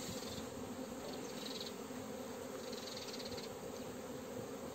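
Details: Western honey bees (Apis mellifera) hum in a steady, low, even drone with a faint hiss above, during an April 4 apiary hive inspection of frames with fresh eggs, pollen present.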